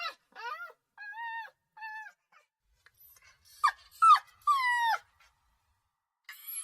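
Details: Puppy crying: a short series of even, steady whines, then sharper rising and falling yelps in quick succession, and a faint whimper at the end after a pause.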